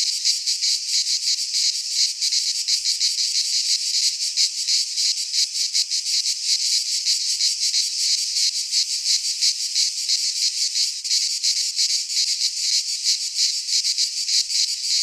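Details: Cicadas of Greek fauna singing in a midsummer pine forest: a sustained, sizzling high-frequency chorus with fast flickering pulses, constant loudness, and no birds, wind or voices.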